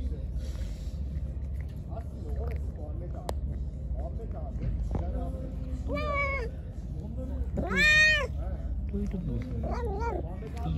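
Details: Angry, hungry pregnant stray cat given food gives three arched meows spaced about two seconds apart, the middle one loudest, over low background noise and faint talking.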